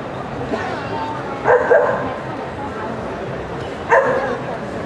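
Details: Yapping Toy Poodle at an international FCI dog show: a doubled bark, then one more sharp bark about two seconds later, all set against a steady din of a busy show hall.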